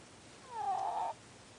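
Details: Single snore from a sleeping ferret: a brief, wheezy, whistling squeak that rises and then wavers and fades, lasting about half a second, against a quiet indoor background.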